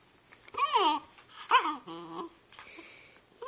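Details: Two brother dogs on a couch indoors, "talking": three wavering, arching whine-howls that rise then fall, the last a steadier stacked tone, with short quiet gaps between.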